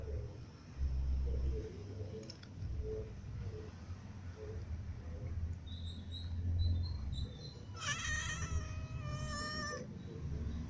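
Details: Several cats, including a new white cat, a ginger cat and little cats, feeding together; after a low background rumble and faint high chirps, two loud, wavering, richly harmonic meows ring out back to back near the end.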